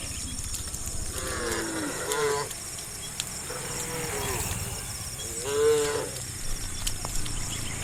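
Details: Tame cattle in a herd walking the road to green rice fields in the morning; two drawn-out, harmonic moos, the second louder, over steady insect hiss and low rumble.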